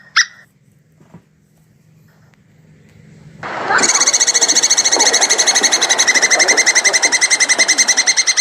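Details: Plantain squirrel giving its mating call: after about three seconds of near silence with a faint tick, a loud, rapid, steady chatter of harsh, ringing pulses begins, about three or four per second, and continues to the end.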